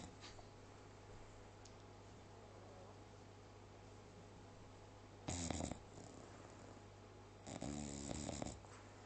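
An English Bulldog snoring, with two loud, rasping snorts over a low, steady rumble.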